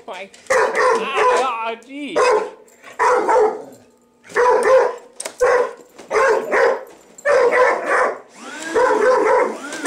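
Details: Male household dog objecting to a vacuum cleaner with a series of loud, harsh barks roughly every second, with a squealing whine early on and a person's voice coaxing him.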